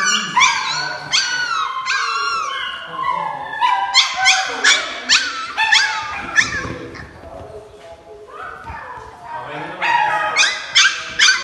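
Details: Several Siberian Husky puppies yelping and whining together, a dense overlapping chorus of high, sharp yips and thin wavering whimpers repeating rapidly, with a short lull midway.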